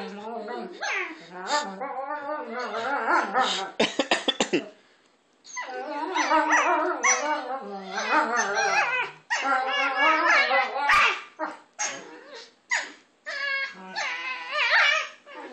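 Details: Two pet dogs, Maya and Izzy, make funny noises at each other while playing. Their yodel-like whines and groans rise and fall, overlapping almost without pause, with a few sharp yips and short breaks.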